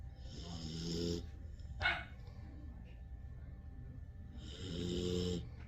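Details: Sleeping husky mix or German Shepherd dog snoring: two drawn-out, rasping snores, one at the start and one near the end, with a brief soft thump between them over a quiet low background rumble.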